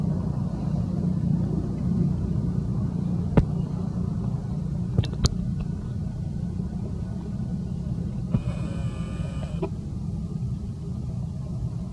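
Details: Steady low vehicle rumble outdoors with a few sharp clicks and a brief tonal engine whine.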